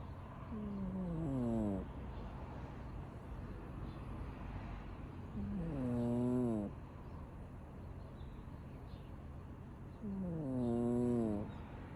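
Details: A sleeping domestic cat, called a lady, dozing where she shouldn't. She snores in three tonal, wavering breaths, each sweeping down and then up, about five seconds apart, over a steady low hum.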